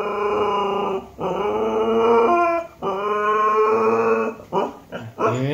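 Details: Siberian husky singing: a run of drawn-out, harmonically rich vocal phrases about a second long each, wavering and bending in pitch, separated by brief breaths and ending in quick, choppy yelps.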